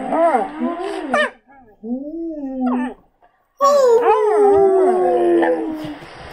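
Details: Female Samoyed howling in response to other dogs' howls played on a screen; long wavering tonal howls with rich harmonics, a rising-falling opening phrase, a shorter mid phrase after a brief pause, then a sustained slowly descending howl.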